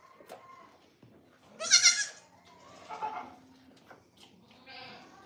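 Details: Goat on The Willful Goat Farm & Home: a single short, bright bleat near the middle, with quieter wavering calls and rustling farmyard noise before and after.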